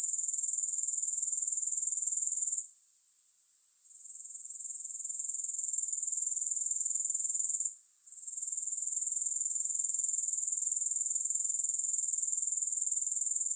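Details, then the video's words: High, sizzling, pulsed buzzing from grasshoppers, recorded without music, drops away for about a second near the three-second mark, swells back, then cuts out briefly again near eight seconds. "Grass Hopper Sounds"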